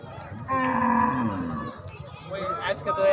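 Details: Cattle at the Hazrat Pur livestock market give a drawn-out, tonal moo lasting about a second, steady then sagging at the end. Voices and market bustle follow.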